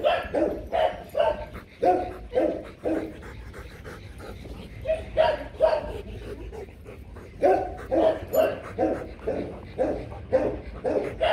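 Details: Rottweilers Loki and Siro during mating, two dogs; short harmonic whining yelps in rapid bursts, about two per second, in clusters separated by brief pauses, with heavy breathing between.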